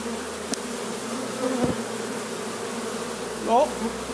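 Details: Honey bees of a wild swarm arriving beside a hive in Jouques, Provence, southern France, 17 April 2018; a continuous low humming buzz, joined near the end by a brief rising whine.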